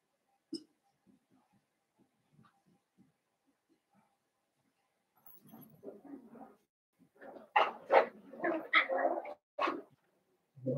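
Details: Blenheim Cavalier King Charles Spaniel puppies, a litter of five born on New Year's to Paris and Spike, in a home puppy pen: scattered soft squeaks early, then a loud cluster of sharp yelping barks in the second half.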